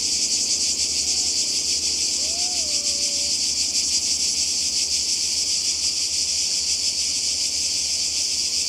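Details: Cicadas by the sea in Croatia during summer 2020, a dense steady high-pitched buzzing chorus with a fast shimmering pulse, continuous throughout; a few faint whistled bird notes slide up and down near the start.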